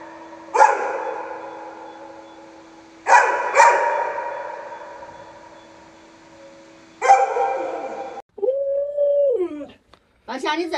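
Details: Pet Alaskan Malamute Luoluo, a dog said to know 36 tricks, lets out three abrupt, rich, wavering howls that fade away, then a short rising-and-falling whine and a final brief yelp, with a faint steady tone behind.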